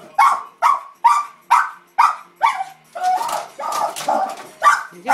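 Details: Pet Cairn Terrier barking at a Puppy Bowl broadcast on television, a rapid run of about a dozen sharp barks, some rougher and growly toward the end, with a person urging it on.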